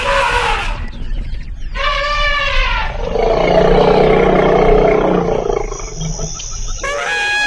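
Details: Elephant bathing in a canal: two short harmonic calls with falling tones, then a loud, rough, rumbling roar lasting about two seconds, and a brief high tonal call at the end.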